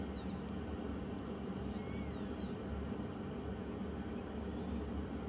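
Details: Immature youngest rescued kitten taking on its older sister: a short high meow, then a longer wavering meow that bends up and down, set against constant low mechanical hum.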